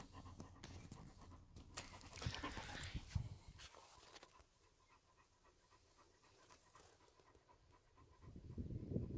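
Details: German Shepherd named Major panting at dinner on a hot day, a quick, uneven run of soft breathy puffs that fades midway and picks up again near the end, with light rustling and handling noises.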